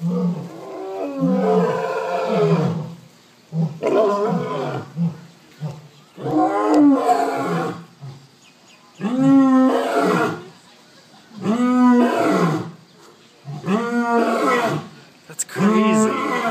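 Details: Lions roaring to communicate at Big Cat Habitat in Sarasota, Florida, kept in cages. Deep grunting roars come in short bursts, each a run of rising and falling moaning calls, repeated roughly every two seconds, with brief pauses between bouts.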